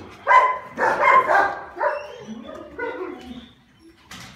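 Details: Male Rottweiler, dated December 16, letting out two or three loud barks followed by softer, trailing whiny calls that fade out.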